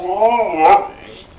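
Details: Spike, a pet Pit Bull, told to speak and say I love you for a bacon treat, answers with a drawn-out, wavering, talk-like howl of about a second, rising then falling, with a person praising him right after.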